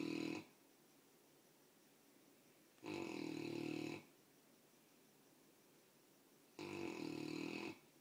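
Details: Sleeping Mastiff puppy snoring heavily indoors: three loud, rasping breaths at roughly 0–0.4 s, 2.9–4 s and 6.6–7.9 s, separated by quiet pauses, with a low rumbling tone and hissy upper noise in each snore.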